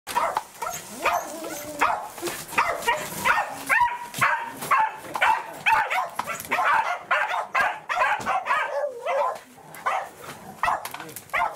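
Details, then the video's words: Welsh corgi named Roku, excited at meeting its breeder, recorded 4 August 2019: a rapid, uneven burst of high yips and barks with whining, about forty calls a minute, loud and almost continuous. "ブリーダーさんに会って大喜びなロクさん / Happy Roku meets breeder"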